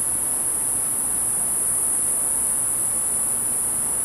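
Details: A cicada, about 10 feet away, sings a steady, very high-pitched buzzing drone without pause, over a soft background hiss.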